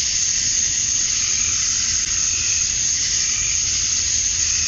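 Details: Cicadas singing at dusk on a summer night in Georgia, USA: a dense, unbroken high-pitched hiss-like drone that holds steady from start to finish, with no other clear sounds.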